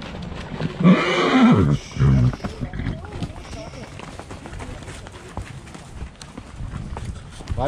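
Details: A horse on a trail in the Basque Country, Spain, as mares and their stallion come towards the riders. A loud, harsh whinny of about one second falls in pitch. It is followed by people talking and scattered hoof sounds.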